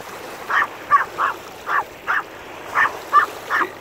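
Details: Owol-i, a Maltese dog, gives eight short, sharp, high yaps in quick uneven succession, some paired, over a steady low background hiss.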